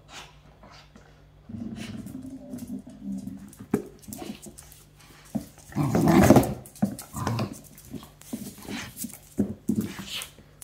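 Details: Chester, a corgi, plays aggressively with his favorite toy duck held in his mouth, shaking his head vigorously; low rumbling growls come in bursts between rustling and thumping knocks indoors.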